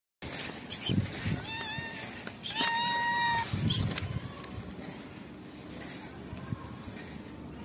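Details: Homeless cat receiving a head massage, giving a few short meows followed by one clear, steady, drawn-out meow lasting under a second. Rustling and handling noises continue underneath, with a constant high hiss throughout.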